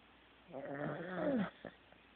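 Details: Teddy, a Corgi, asleep and snoring: a single rasping, harmonic-rich snore lasting about one second, with a low buzzy tone sliding downward near its end, in a quiet indoor room.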